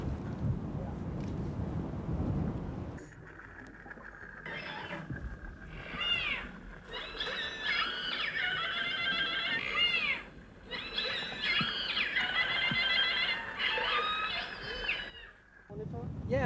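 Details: Keiko, a formerly captive killer whale living in a sea pen off the Vestmanna Islands, Iceland, vocalizes a lot in repeated squeaky, harmonic bursts that bend up and down in pitch.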